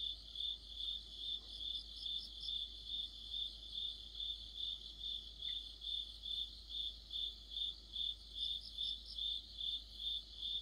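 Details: Crickets and other insects singing together in the middle of autumn under a streetlight: a steady high chirping pulse, about two pulses every second, with fainter overlapping trills from other insects above.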